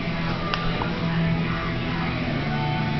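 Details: Steady rock music with guitar fills the recording, with no animal voice.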